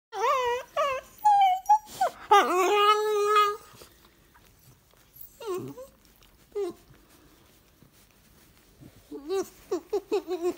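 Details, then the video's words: Cavalier King Charles Spaniel dog "talking" indoors while being babysat for a weekend, giving a run of high, wavering whines and whimpers, some rising and falling, then a pause and another burst of short yelps. "I babysitted a talking Prince Charles this weekend (dog)"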